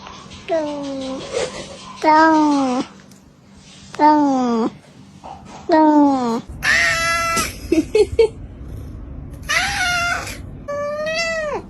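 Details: Domestic cats meow loudly in a string of about seven drawn-out, wavering calls, some rising and some falling, over a steady background hum. Near the end come shrill, strained cries, along with human screaming and laughter.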